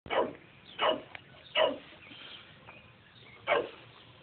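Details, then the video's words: Chow Chow attacking and trying to kill a bee-like insect: four short, sharp barks in about four seconds, spaced unevenly, over a quiet background. "Chow chow rampage"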